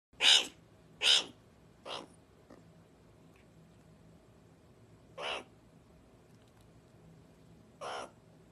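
A meerkat gives harsh, raspy bursts at uneven intervals, begging for food.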